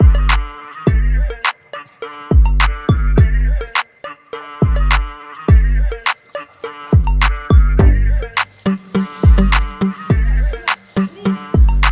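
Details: Hip hop music with punchy deep drum hits, bright plucked notes and a steady beat, and no animal voice.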